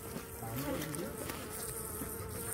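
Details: Asian honey bees hum in an open hive during a beekeeper's inspection that finds queen cells ahead of swarming, a continuous droning buzz with faint human voices in the background.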